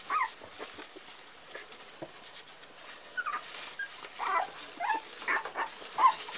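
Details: Parson Russell Terrier puppies at four weeks old, making soft, scattered whines and squeaks, faint at first and growing busier and louder toward the end.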